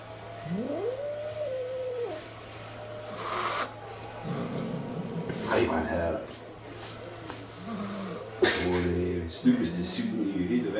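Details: A domestic cat gives sharp, breathy hisses between low, wavering meows, with people talking nearby.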